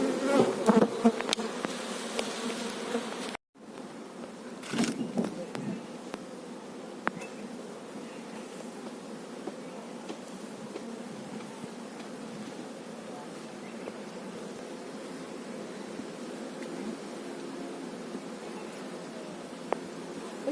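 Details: Honey bees at a beekeeper's hive holding a queen: loud knocks and rustling at the start, a sudden brief dropout, then a long, even, low humming drone with occasional soft clicks.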